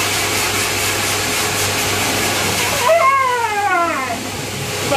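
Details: Siberian Husky puppy during its first hydrobath: one brief descending whine over steady loud roaring machine noise from the bath equipment.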